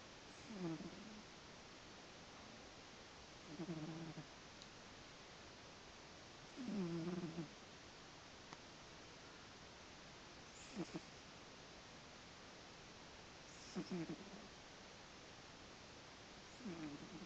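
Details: Miles, a sleepy cat, snores steadily: low rasping breaths repeated about every three seconds across the recording, some with faint higher harmonics, against a quiet background.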